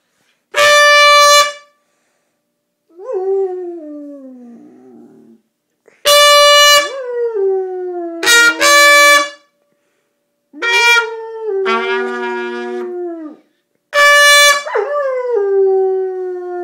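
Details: Dog howling in reply to a trumpet: loud steady trumpet blasts alternate with the dog's long, wavering howls that slide downward in pitch, each howl answering a blast, about four exchanges.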